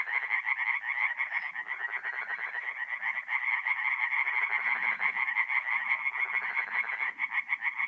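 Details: Tree frogs singing at night in a forest pond in north-east Italy in mid-April: a dense chorus of rapid, rattling croaks overlapping into a continuous pulsing din, strongest in a high band, with fainter lower calls beneath.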